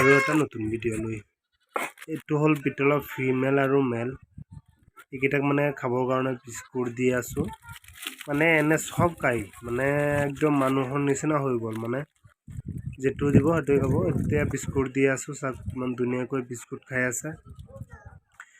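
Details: Goats on a farm in Assam bleating in long wavering, harmonic cries, several overlapping in near-continuous runs with brief pauses.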